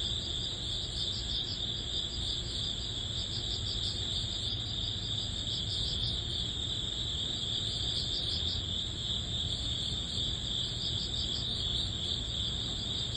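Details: End-of-summer, early-autumn chorus of grass insects including crickets: constant piercing trill, rapid repeated chirps about three per second, an even higher faint ringing line, and a soft low-frequency background rumble.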